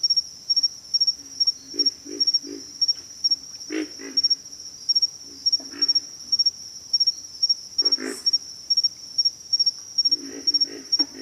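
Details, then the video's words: Low, rough grunts from pig frogs arrive in short clusters of two or three, with a longer gap midway, beneath a constant shrill, rhythmically pulsing insect trill. "pig frogs"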